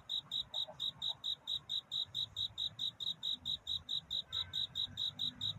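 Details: A night-time cricket calling to find a mate, each chirp a crisp high pulse repeated evenly at about two a second, over a quiet low background murmur.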